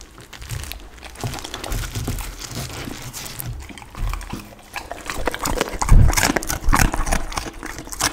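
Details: Pit bull dog chewing raw chicken and duck with cauliflower, slow crunching bites about once or twice a second, soft at first and growing louder, with crackling crunches and wet smacks toward the end.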